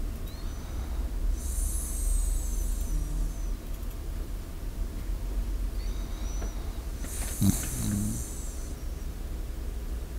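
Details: Sleeping Shiba Inu, recorded close up by a microphone: quiet, hissing breaths roughly every six seconds, with a faint low snort near the end and a constant low hum throughout.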